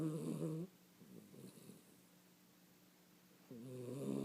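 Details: Sleeping 16-week-old puppy Peanut snores blissfully: a rough, buzzy snore at the start, a long quiet pause with faint breathing, then another harmonic, nasal snore rising at the end.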